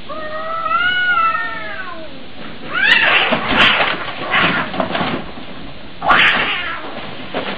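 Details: Fighting domestic cats: a drawn-out wavering yowl with stacked harmonics rising and falling over two seconds, followed by loud harsh hissing and spitting bursts.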